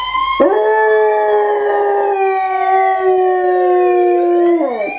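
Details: A German Shorthaired Pointer, howling for the first and only time, gives one long, steady howl that sags slightly in pitch before breaking off.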